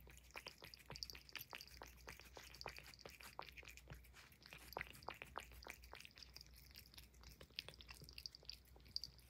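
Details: Puff, a Highland Lynx cat, eating banana peel indoors in a small room: rapid, crisp clicking bites and wet chewing crunches packed closely throughout, with faint high ticks overhead and a low steady room hum.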